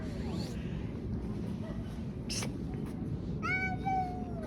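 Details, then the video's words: Cats fighting on a street: a faint rising wail at the start, then a loud, strained harmonic yowl near the end that bends slightly downward, over a constant low street rumble with a brief knocking thud midway. "Cats fighting on the street making strange noises."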